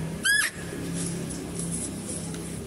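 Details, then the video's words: Female deer in a zoo gives a single sharp, harmonic, slightly rising call lasting under half a second, followed by a steady low hum and background chatter as a male deer is being fed. "mendengarkan suara rusa betina"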